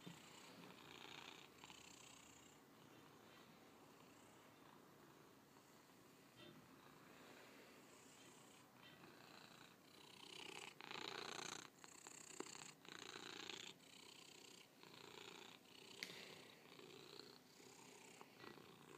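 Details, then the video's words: A cat purring steadily, a soft continuous rumble with breathy hiss, swelling louder and rougher in the second half with a few brief clicks and rustles. "Purring Cat"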